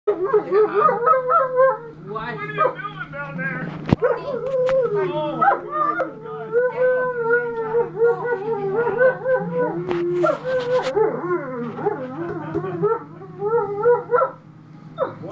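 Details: A pack of Alaskan Malamutes met in person, several dogs howling together in wavering, overlapping woo-like tones that slide up and down, with a steady low hum underneath.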